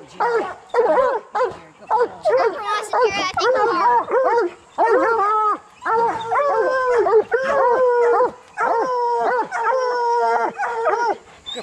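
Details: Training coonhounds to hunt raccoons; bluetick and black and tan hounds bawl in quick arched bays, then shift to longer level held howls, voices seeming to overlap, with a few short pauses.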